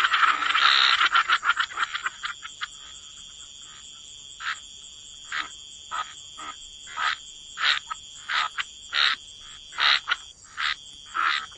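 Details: Wetland frogs: an opening cluster of dense croaking, then spaced single rasping croaks roughly every second, set against a steady high-pitched insect-like drone.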